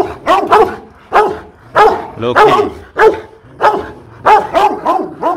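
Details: Aggressive Rottweiler at a Rottweiler Gervi kennel in Hanoi, Vietnam, barking fiercely: deep, forceful barks in quick pairs and triplets, about eight bursts in five seconds, with short gaps and no other sounds.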